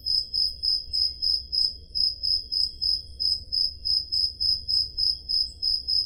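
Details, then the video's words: Summer-night crickets in Peloponnese, Greece, recorded on a Zoom H5: a continuous chorus of shrill, evenly spaced chirps, roughly three each second, over a quiet low background hum. "Crickets Sound Effect"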